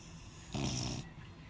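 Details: A Beagle snoring: one rough, rasping breath lasting about half a second, with a low hum under a hissy top, framed by quiet room hush.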